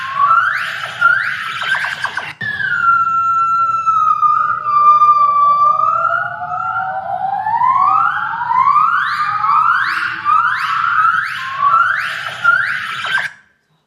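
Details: A group of adult gibbons, a species closely related to Hylobates gabriellae of Southeast Asia, sings in chorus with a yellow female and two black females; clear, whistle-like rising whoops and long gliding notes build into a fast, climbing run over a faint hum.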